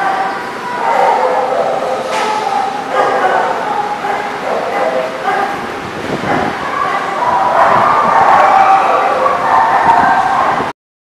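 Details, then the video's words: Chorus of dogs at The Barking Lot, recorded 17 February 2020: continuous overlapping barks and yelps, rising in loudness toward the end before cutting off abruptly. "The Barking Lot"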